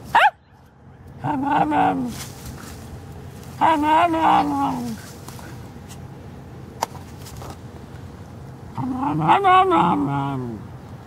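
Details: A female Cairn Terrier gives three drawn-out, wavering, howl-like yowls, each rising and falling like chatter, as if talking; Cairn Terrier (Canis lupus familiaris), talking howl.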